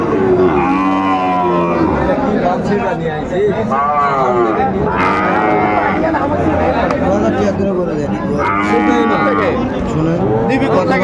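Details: Sahiwal bull calves and other cattle at a market in Chattogram, Bangladesh, 17 January, giving repeated long, drawn-out moos with arching pitch, several animals overlapping, amid steady crowd chatter and men talking.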